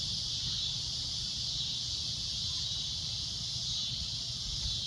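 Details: Shrill sunset drone of a cicada, a dense high buzz sustained evenly with slight swells, over a quiet low rumble.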